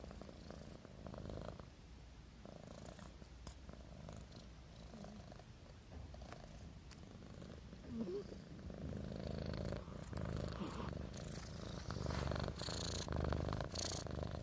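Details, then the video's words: A kitten named Marimo dozes with a humanlike snore blended into a deep, grainy purr. The breathing rhythm grows louder and fuller in the second half, with soft clicks and rustles indoors. "マリモのイビキが人間並💦（Human snoring）"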